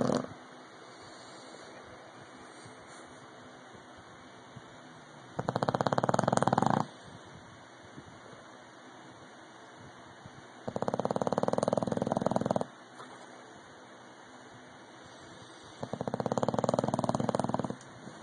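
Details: Loud snoring from an English Bulldog named Rocky: three long rattling snores, each about one and a half seconds, spaced roughly five seconds apart, with quiet low hum between them.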